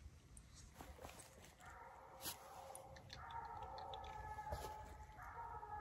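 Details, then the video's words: Bluetick and Walker coonhounds turned loose on a coon hunt and treeing a raccoon; after a quiet start, distant layered bawls run almost continuously, several dogs overlapping, with a few sharp knocks and background hiss. "Treeing Coon"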